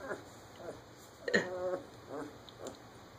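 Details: German Shepherd puppies, 15 days old, from a litter whose eyes are just starting to open, give short squeaky whines and grunts, several brief calls spread over a few seconds with a steady electrical hum behind.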